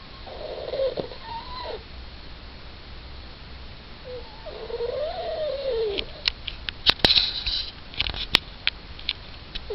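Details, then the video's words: Suzette, a small Yorkshire Terrier, makes sounds while asleep indoors: thin, nasal whimpering squeals that rise and fall, one long wavering moan mid-clip, followed by several faint clicks and taps. "Suzette Snoring"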